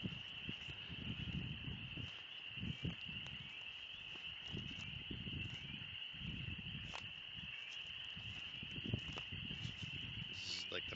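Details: Spring peepers in a deafening chorus in the Oxford Woods on one of the first warm spring days, about 20 degrees: a dense, steady high shrill band of overlapping peeps, with crunching footsteps and rustling leaves underneath.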